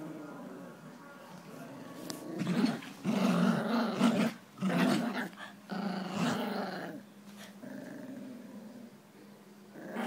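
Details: Jack Russell Terriers Jax and Rosco during a tug-of-war game, growling steadily in a deep rumble with louder, rougher surges every second or so, plus scuffling noises from the struggle.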